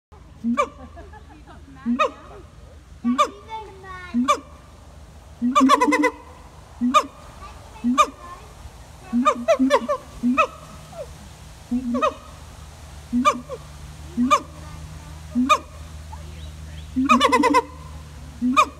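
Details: Siamang gibbons at Taronga Western Plains Zoo, Dubbo, give loud, harmonic barks and whoops, repeated roughly every second in uneven bursts.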